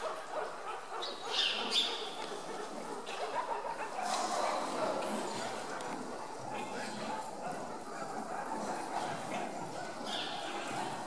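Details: Hungry meerkats at Augsburg Zoo, fed chicks and stealing food from each other, chatter busily with sharp yips and squeaks, a dense overlapping jumble of high calls.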